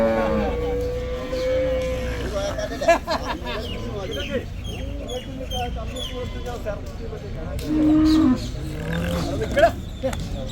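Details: Bull at the Chattipparamba cattle market in Kerala during bull trading: a long, steady low moo opens, followed by shorter lowing, while men talk loudly and crowd noise carries throughout.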